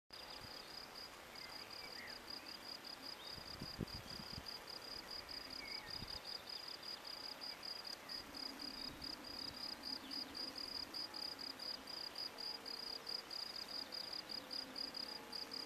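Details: Field crickets (Gryllus campestris) sing a steady, high, pulsing chirp that repeats rapidly without pause, at a sports field in Brasschaat, Belgium, whose habitat has been destroyed; field cricket.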